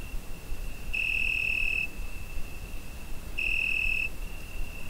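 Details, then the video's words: Summer-night cricket chorus captured on a Zoom H5: an unbroken high-pitched trill with two louder, shrill bursts about two and a half seconds apart, over constant low background noise. "Summer Night Cricket Sound Effect"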